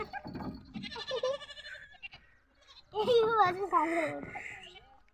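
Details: Goats being ferried across a shallow river by boat in Bangladesh; after a stretch of human voices, a loud quavering, wavering bleat lasting over a second rises and falls with a trembling, vibrato quality.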